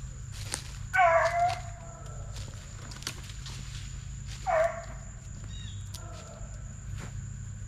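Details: Plott Tan pups (Plott Hound x Black and Tan Coonhound cross) from TTG Kennels, 8 weeks to 5 months old; two separate drawn-out howls, each dropping in pitch and trailing off, about three seconds apart, over a steady background hum.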